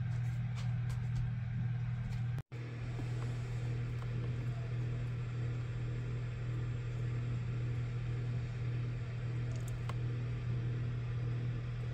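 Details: A steady low electrical hum fills the recording, with faint rustling and a brief dropout near the start; no animal voice can be made out.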